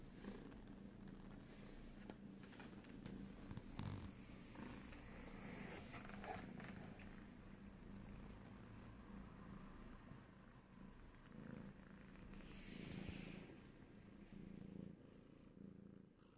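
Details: Indoors, a domestic cat purrs continuously while walking on its owner's shoulders. The purr is a low, rapid, even rumble about four beats a second, partly masked by fabric rustling and handling noise.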